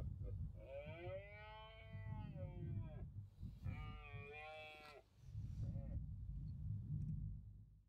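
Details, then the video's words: Red deer stag bellowing during the autumn rut in the Cantabrian Mountains, Spain, 2023: two long, tonal, harmonic roars lasting about two and three seconds, then a short third call, over low rumbling wind noise. "Berrea del ciervo en la cordillera cantábrica"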